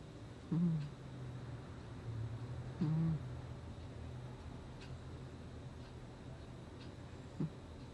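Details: Sleeping cat Gnusmas, August 2020, giving three soft, low snoring breaths at uneven gaps, the last very brief, over a faint steady indoor hum.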